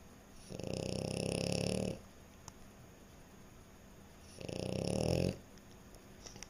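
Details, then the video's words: Two throaty, rasping snores from a sleeping French Bulldog, each lasting over a second and spaced about three seconds apart, with faint clicks in the quiet gaps. "Snoring French Bulldog"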